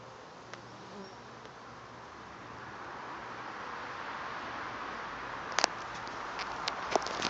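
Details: A settled Western honey bee swarm at a farm on 2012-06-09: a dense, steady hum of many bees swelling gradually, with a few sharp clicks near the end.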